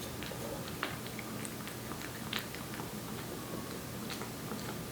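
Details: Korean Shorthair cat Aeppi, aged one, laps and chews wet food in a small room. Sparse moist clicks and smacks fall every second or so over a quiet low hum.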